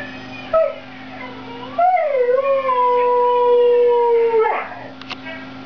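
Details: Siberian husky singing indoors: a short yelp, then one long howl that rises, dips and holds a steady pitch for about three seconds before breaking off, over a constant low hum.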